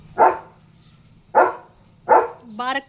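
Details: German Shepherd on morning guard duty, barking at a dog and a cow outside the gate: three sharp, loud barks roughly a second apart, followed by a short human voice.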